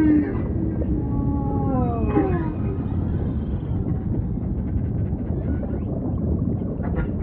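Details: Humpback whale song: a series of descending harmonic moans in the first seconds, fading into a continuous low ocean rumble with faint chirps.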